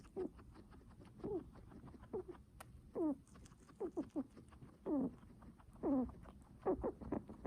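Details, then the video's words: Guinea pig heavy breathing: low, wheezy harmonic puffs with rising sweeps, uneven spacing of about one per second, some louder and longer, mixed with light clicking patter. "Guinea pig heavy breathing sounds"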